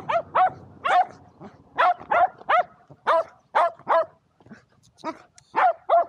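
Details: Shetland Sheepdogs Power and Beat, two dogs playing frisbee on a sunny day, 23 February 2022: a rapid run of high, sharp barks, about a dozen in six seconds, with short gaps between bursts.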